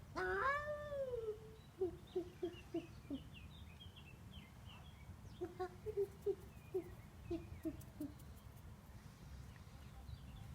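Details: Devon Rex cat making a funny noise: one long, wavering meow, then a series of short, clipped chirping calls repeated in bursts, with faint high bird-like twitters in the background.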